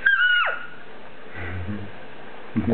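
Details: A two-week-old Yorkshire Terrier puppy gives a thin, high whine that holds steady for a moment, then drops sharply. A quiet pause follows, with a low human voice at the end.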